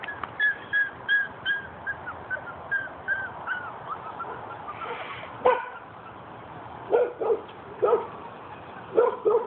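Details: Five-week-old Weimaraner puppies with children: a run of thin, high whimpers, each slightly falling, repeated about every half second. After a short pause come sharper, shorter yips in a loose cluster, with faint voices in the background.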